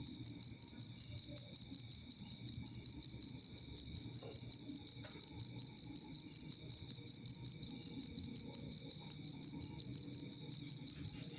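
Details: Cricket calling steadily, recorded as tutor material for training songbirds such as white-rumped shama and leafbirds; continuous rapid high chirps repeated nearly three times a second without a break, faint low hum behind.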